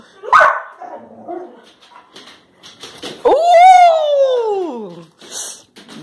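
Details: Labrador Retriever puppies Josie and Jackson leaping for a raised banana, recorded March 21, 2018; one quick bark, then scattered soft noises, then a long drawn-out whine arching up and sliding down over nearly two seconds, with faint voices.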